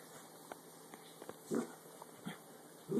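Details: A curious Dachshund, being urged to crawl inside a clothes basket, gives two brief, low, throaty sounds about a second and a half apart, with soft tapping and rustling.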